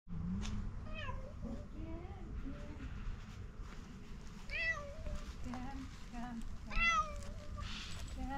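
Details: Fluffy calico cat starting to meow when it sees a person: several soft, rising-then-falling meows spaced through the recording, mixed with a person's gentle talking and a low background rumble.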